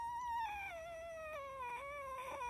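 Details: Pet red fox whining while being comforted about its leg indoors; one long tonal whine with stacked harmonics, sliding slowly downward, wavering near the end, with a quiet room background.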